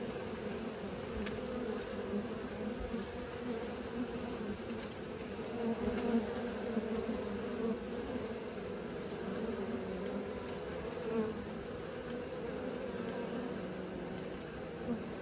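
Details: Honey bees learning to fly, a steady droning hum of many wings with a low fundamental and a brighter overtone band, holding at an even level throughout with slight swells.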